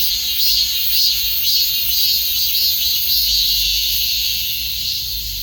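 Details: Shrill cicada buzz pulsing in regular waves near two per second, loud and even, fading slightly toward the end.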